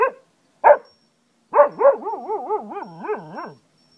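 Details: Pet Cocker Spaniel Zeeko, from Ajloun, Jordan, lets out a few sharp yelps, then a warbling howl whose pitch rises and falls in quick regular waves before stopping abruptly.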